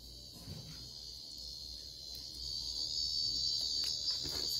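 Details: Cicadas from Japan make a continuous high-pitched whirring drone that holds an even tone throughout and swells louder in the second half, with soft scattered knocks in the background.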